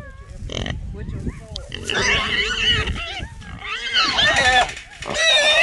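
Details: Wild hog squealing inside a small trap that held three small boars; shrill, wavering squeals, rising and falling, under a man's voice and handling noise.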